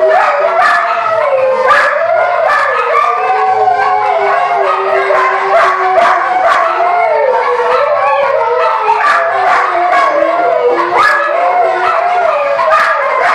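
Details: Several Siberian Huskies howl together in long, wavering, overlapping tones, singing along to the rock song "Carry On Wayward Son," which the lead dog loves.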